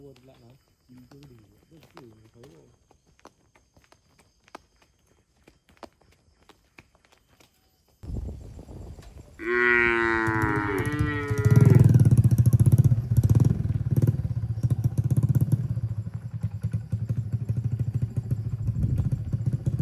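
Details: Cattle herded through a forest toward their shed, jumping happily; after a quiet, murmuring start, a loud, harmonically rich moo rises and falls near the middle, followed by a deep, sustained low rumbling lowing with steady background noise.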